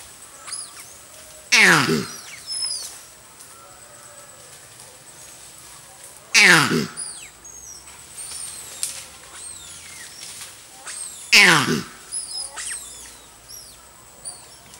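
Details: A male Lowe's mona monkey at the Boabeng-Fiema Monkey Sanctuary gives a loud, harsh, downward-sweeping call about every five seconds.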